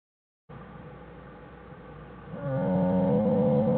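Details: American black bear named Jewel with her cubs Fern and Herbie in their den, January 1, 2013, Wildlife Research Institute; after a quiet hiss, a loud harmonic moaning call rises in and holds, slightly wavering.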